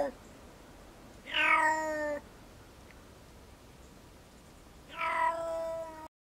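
A black-footed cat gives two drawn-out, harmonically rich meow-like calls, each about a second long.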